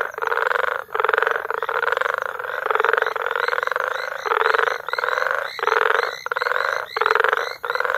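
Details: Many frogs calling together in May at Bagamoyo, Tanzania, a continuous grating trill of rapid pulses broken into long bursts with short near-silent breaks, no other sounds clear.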